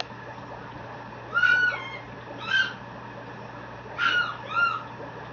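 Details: A male Mame Shiba puppy, born 9/3 and raised at a breeder in Japan, lets out four separate high, whining squeals, each rising then falling in pitch and spaced about a second apart, with a faint constant hum behind.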